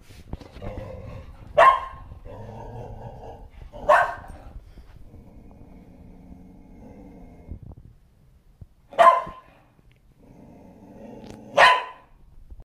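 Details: Shetland Sheepdog barking at something unseen, four sharp isolated barks spaced two to five seconds apart, with a low hum between them.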